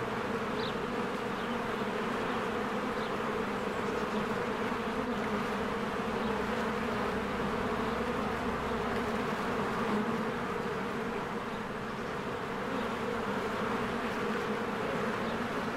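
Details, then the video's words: Honeybees in large numbers flying in and out of their hive during spring bloom. An unbroken, dense buzzing drone with a steady low hum, fluttering slightly, plus faint distant chirps. "1 Hour of a Beehive ASMR"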